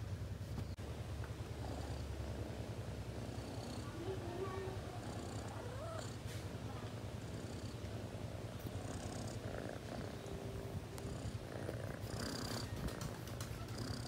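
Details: Cat purring in a low continuous rumble of rapid beats, with faint human voices murmuring at moments and some rustling and knocking noises around it.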